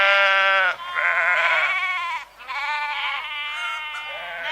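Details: Sheep bleating: a long wavering baa followed by two more quavering, buzzy bleats, each lasting about a second with a short pause between.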